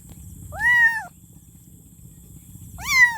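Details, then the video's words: A kitten calls for its mother with two drawn-out meows, the first long and level, the second rising at the end, separated by a quiet pause over a low steady hum. "Meowing Kitten For Mom"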